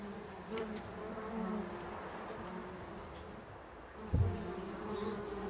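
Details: Bumble bees nesting in a bee hotel, a winter shelter they have turned into a hive; steady layered humming of several bees, with a brief sharp thump and rising buzz about two-thirds through.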